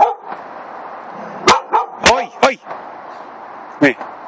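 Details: A black Labrador Retriever gives a few sharp, yelping barks about a second apart at a hedgehog, while a person speaks.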